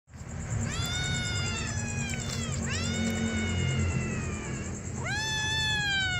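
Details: Hungry kittens meowing: several high, harmonic-rich meows that fall in pitch, with a rising final meow near the end, over a steady low background hum and a constant high-pitched whine.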